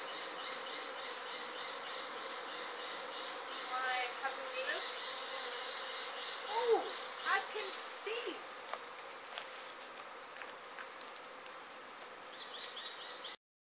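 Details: Honey bees pouring out of their hive as a swarm in Sydney, 2012; a constant droning hum underlies the whole recording, with a rhythmic higher trilling pattern, brief voices and scattered clicks in the middle before it cuts off.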